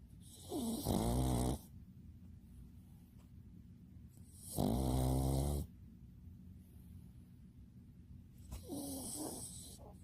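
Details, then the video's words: Bbomi, a pet dog sleeping indoors, snores in slow rhythm: three low, grating, rattling snores roughly every four seconds, each about a second long, with soft breathing between them. "사람인가?강아지인가?코골이가 왜?이런가?"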